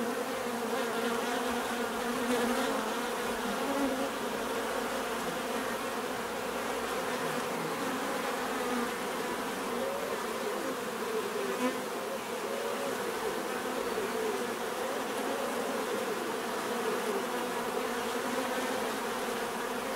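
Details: Many bees droning together, an even buzzing hum with subtle pitch wavering as individual insects pass, unbroken from start to finish.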